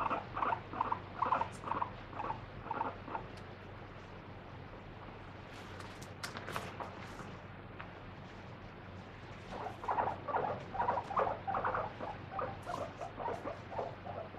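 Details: Free-roaming pet guinea pig screaming while being held and rubbed clean during a body check: bursts of high, pulsed squeals at the start, a quieter pause with handling rustles, then renewed rapid squealing.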